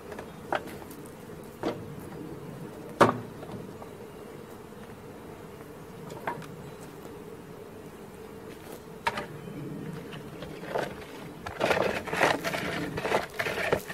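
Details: Honey bee swarm being caught, giving a steady low droning hum broken by sharp knocks and clicks, with louder rustling and handling noise near the end.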